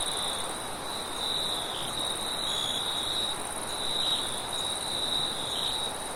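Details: Night crickets with wind: a continuous high, slightly wavering chirp-trill with a thin constant tone above it, set against a soft, steady background hiss of wind.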